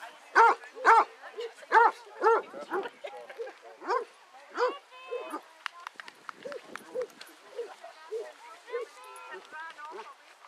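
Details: Eighteen Basset Hounds walking together at Belwade Farm, Dess, Aboyne, Scotland, in August 2014; strong, repeated deep bays open the recording, about two per second, then fade into quieter scattered yelps and whines mixed with human talk.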